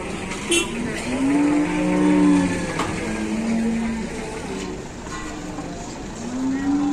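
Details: Large cattle in Indonesia, with traders waiting as the animals are unloaded. Several low, drawn-out moos overlap, each holding a steady pitch for one or two seconds. Crowd chatter, engine noise and a brief clap are also audible.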